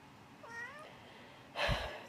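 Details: Pet cat meowing during bed-making: a short rising-falling meow lasting about half a second, followed by a louder rustle of bedding; quiet indoor room.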